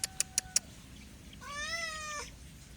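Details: Four sharp clicks in quick succession, then a single long cat meow that rises slightly and falls away.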